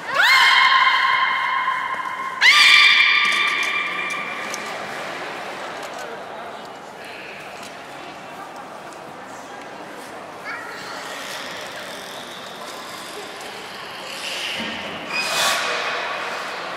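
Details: Beluga Nana during training at Port of Nagoya Public Aquarium on 13 April 2019: two loud, rising harmonic squeals open the recording, followed by quieter murmuring and a few faint tonal calls later over hall noise.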